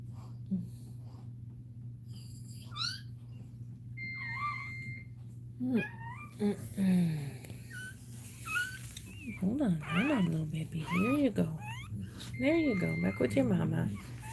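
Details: Cane Corso crying indoors while Cashmere is in labour; high, wavering whines and squeals rise and fall in pitch, coming in clusters toward the end, over a constant low electrical hum and some human speech.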